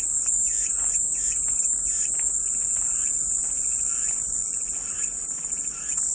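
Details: Soothing cicada song: an unbroken shrill high-pitched buzz holding steady, while softer repeated chirping notes, likely birds, sound faintly in the background.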